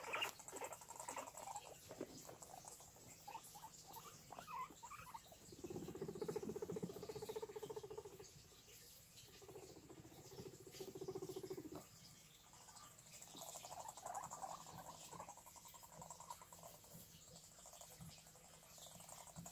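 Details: Low, vibrating guinea pig rumbling, strongest in a two-second bout midway, with fainter rumbles before and after over a background of light scuffling and patter.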